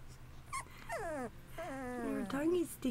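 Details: Two-and-a-half-week-old Bullmastiff puppies from an AKC champion-sired litter; drawn-out, sliding whines that fall in pitch, one after another, with a faint low hum underneath.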